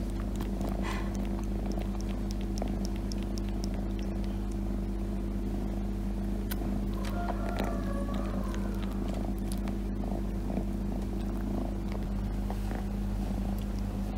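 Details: A cat purrs continuously while lying on its owner's lap. The low rumbling hum stays constant throughout, with scattered soft clicks and rustling from movement, and a faint brief higher sound near the middle.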